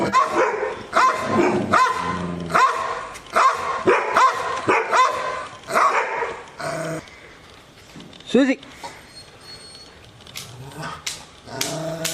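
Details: Angry Rottweiler barking at the camera or an off-screen sound: a steady run of rough barks roughly every seven tenths of a second for seven seconds, then quieter grumbling, a whine and scattered clicks.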